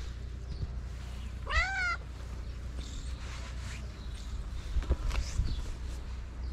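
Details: A calico cat in Morocco asks for love and food with one short, rising-then-falling harmonic meow, followed by quiet background rumble and a few faint clicks.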